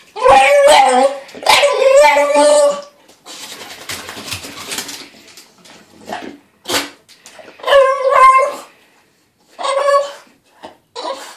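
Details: Dog fussing and complaining about its weekly bath: drawn-out, wavering howls and yowls in bursts, then shorter grumbling barks and whines with pauses between.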